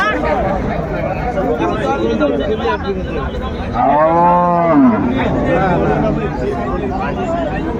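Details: A cow with her calf at Ambari Hat cattle market, Dinajpur, Bangladesh, on January 17, 2025, gives one loud, arching moo of about a second that swells and then sinks, set against steady market crowd noise and talking.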